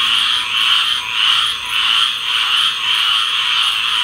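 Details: Tree frogs calling together in a thick high-pitched chorus that swells and fades in regular waves, roughly twice every second, the overlapping croaks never stopping.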